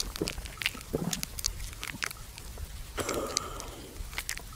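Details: Buffalo lying at rest at noon in a farmer's field, chewing the cud: irregular dry crunching and clicking bites, clustered in quick bursts with short pauses, over a steady low outdoor background hum.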